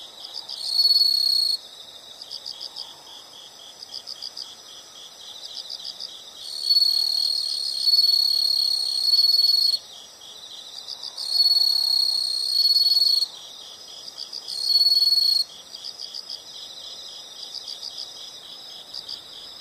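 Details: Chorus of insects in a relaxing nature recording: bursts of loud high trilling lasting one to three seconds alternate with quieter steady pulsed chirping underneath.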